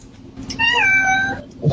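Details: Domestic cat giving a single drawn-out meow, rising then gently falling and trailing off, clear and tonal in a small indoor room, with faint human voice before and after.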